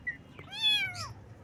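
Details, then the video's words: A baby kitten meowing in the morning: a brief high chirp, then one clear, drawn-out meow that holds steady and slides down at the end, against a low background hum. "Kitten Meows"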